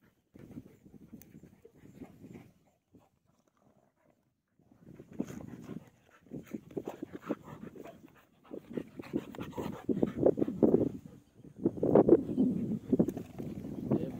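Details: Pet deshi dogs fighting one another: harsh, rough growls and snarls in bursts with panting breaths, a quiet gap early on, then longer and louder bouts of snarling toward the end.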